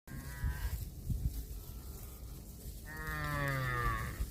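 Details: Cattle eating grass, giving drawn-out harmonic moos: a short one near the start and a longer, slowly falling one toward the end, over a steady low rumbling pulse throughout.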